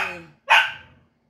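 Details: Playful dog wrestling with another dog lets out a single loud, harsh bark right after a woman's brief Tagalog speech.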